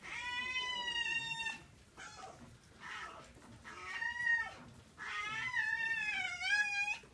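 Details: Foxes in winter at Zao Fox Village, Japan: harsh, drawn-out wailing screams with strong harmonics, in three long bouts separated by brief pauses, the last bout wavering.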